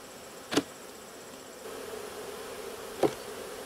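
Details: Western honey bees disturbed in an open hive during inspection, a soft continuous hum with two sharp knocks of equipment being handled.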